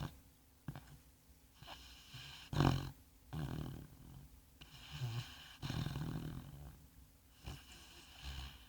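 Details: Bongo, a sand-coloured Labrador Retriever, snoring deeply in his sleep: heavy rumbling, rattling snores lasting about a second each, strongest near 2.6 seconds, separated by quiet pauses indoors.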